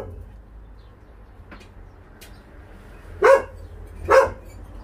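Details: Two separate loud barks from a stray dog being moved by volunteers at the Narae-ul Center in Ulsan, South Korea. They come about a second apart after a quiet stretch with a low hum.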